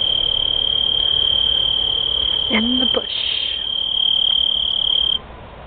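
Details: An unseen cricket outdoors gives an unusually loud, high, non-stop trill that runs steadily for several seconds.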